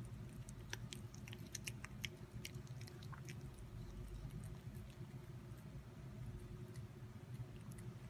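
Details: Cat at mealtime, chewing and biting food indoors. Sharp crunchy clicks cluster thickly in the first few seconds, then thin out into softer, irregular chewing over a low droning background.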